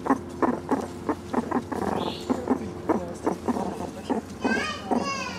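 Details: Young year-old meerkats Caruso, Snoutie and Sayuri searching an overgrown enclosure for beetles and mealworm treats; a run of low, harmonic grunting pulses, then a brief high squeak and, near the end, rising and falling whistled peeps.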